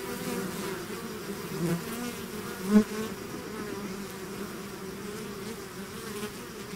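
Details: Honeybee-type swarm pouring out of its hive, a dense steady drone of many wings humming low, with overlapping bands of tone and a brief louder buzz as one bee passes close near the third second.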